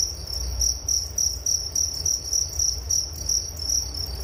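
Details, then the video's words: Relaxing cricket sounds for sleep: high chirps in short bursts roughly every quarter second, about four per second, with a weaker higher band and a low hum beneath. "Relaksasi Suara Jangkrik Penghantar tidur || Nature Sound of Crickets"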